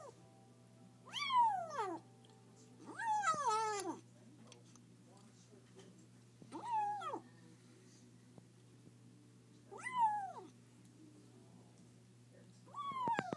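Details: Young kitten, rescued on its first day, crying while being fed: loud wavering meows that rise then fall in pitch, five cries spaced roughly two to three seconds apart with a low steady hum behind.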